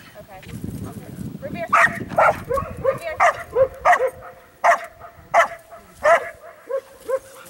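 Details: Belgian Malinois female named Shay, born May 2012, doing bark and hold during IPO training in April 2014; loud sharp barks repeated roughly every half to one second, with human voices talking in between and early on.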